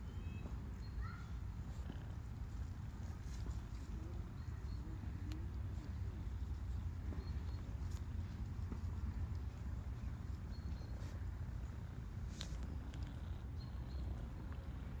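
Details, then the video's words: Formerly shy stray she-cat purring contentedly while being petted, a continuous deep vibrating rumble held evenly for the whole stretch, with light rustles and soft taps from the petting. "Stray kitty is happy to be petted and purrs with joy!"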